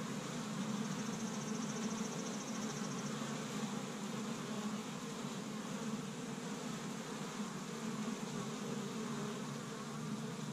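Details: Honey bees from an established hive in Michigan, busy on the first warm day of spring, gathering pollen from tree buds; a dense, steady, low drone of many wings humming continuously with an even hiss layered over it.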